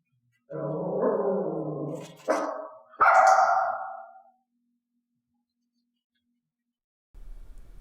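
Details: A mixed-breed pet dog in clicker training indoors, being taught to bark on a hand-gesture cue. A rough, low, drawn-out vocal sound is followed by one loud, sharp bark, then quiet and a faint low hum.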